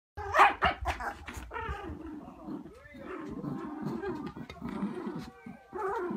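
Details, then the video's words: Terriers playing tug of war over a toy indoors, noisy when they cannot share: short sharp barks at the start, then a continuous low growling rumble with a brief rise near the end. "Terrier TUG OF WAR!"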